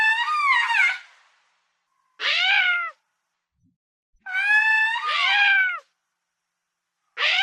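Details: Lemur repeating harsh, harmonic, cat-like wailing calls, some long and wavering, others short and falling, roughly every two seconds, in clean quiet surroundings.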